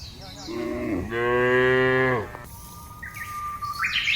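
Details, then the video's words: Cow in the field: a rising grunt flows into a loud, steady, drawn-out moo of about a second, then a high whistling bird call and chirps follow. "FUNNY SOUND OF COWS IN THE FIELD..SUARA SAPI LUCU"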